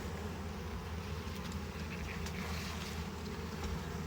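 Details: Honey bees in a hive during harvesting while frames are inspected: a steady low droning hum with layered tones, even in loudness throughout, with faint clicks and knocks from handling.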